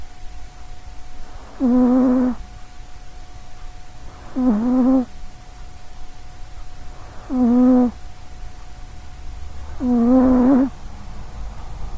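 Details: Four evenly spaced snores from a sleeping short-legged female cat called Sausagecat, recorded close up. Each is a buzzy, throaty drone under a second long, recurring about every three seconds, with a quiet electrical hum between them.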